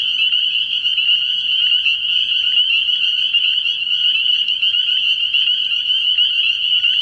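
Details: Spring peepers calling in full chorus from a night-time frog pond early in the year, countless high, shrill peeps merging into one steady ringing wall of sound with faint low rumble beneath.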